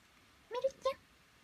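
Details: Pet cat calling its people to be lifted down even though it can get down by itself, a spoiled, attention-seeking plea: two short mid-pitched meows in quick succession, the second slightly rising, in a quiet indoor room.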